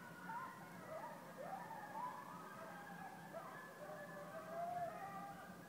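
Coyotes howl together, several wavering, siren-like voices rising and falling over one another.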